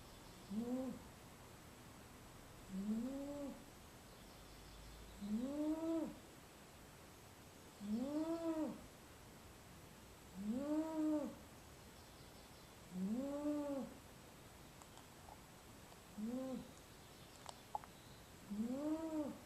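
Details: Steady rhythm of eight whistling snores from Venus, a house cat asleep in a small basket, one roughly every two and a half seconds, each a rising-then-falling nasal tone, with faint clicks near the end.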